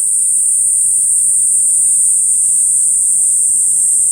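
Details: Kaempfer cicada song, a continuous sizzling high whine sustained at even loudness from start to end, with a faint low hum and distant rumble underneath.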